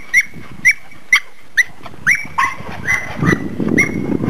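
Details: Australian and Black Russian Terriers, which love water and romping, at play; high, clipped yelps repeat about twice a second, then turn rougher and run together over a louder, low, noisy rumble.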